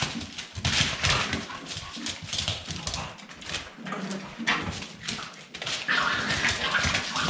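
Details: Staffordshire Bull Terrier puppies indoors in a small room, a dense run of yelps, whimpers and short barks overlapping rapidly, several pups calling at once amid scuffling.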